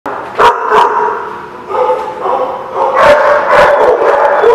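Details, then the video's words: Several dogs bark at a kennel or dog lot, loud overlapping harsh barks and yips repeated rapidly, about three per second, with a steady din of barking throughout. "The Barking Lot"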